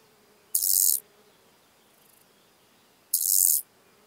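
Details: In Elsbethen, Austria, on 27 July 2019, a lesser marsh grasshopper (Chorthippus albomarginatus) gives two short, dry, hissing chirps about two and a half seconds apart; the recording has had noise removed.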